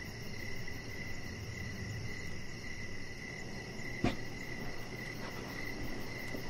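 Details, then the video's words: Outdoor evening crickets near a deck. A steady high chirping band carries over low rumbling noise, with a single sharp click partway through. "Cricket Sounds"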